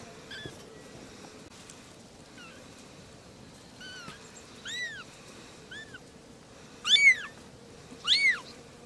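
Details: Playful kittens with their mothers calling for attention: a string of about eight thin, high, rising-then-falling meows, spaced irregularly and growing louder, the last two loudest, over a faint steady hum.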